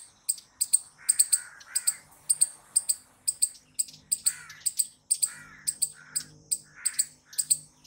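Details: Squirrel calling loudly: sharp, high, clicking chirps fired in quick pairs and bursts, about two to three per second, with softer lower squeaky notes underneath and a faint low hum in the background.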